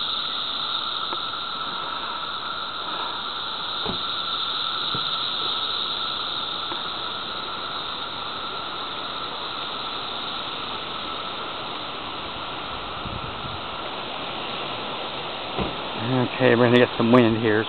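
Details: Seventeen-year periodical cicadas in a dense chorus make a steady, high whirring drone at Ashworth Park, Des Moines, around 14:54 on June 28, 2014, mid-emergence, with gusts of wind at the end.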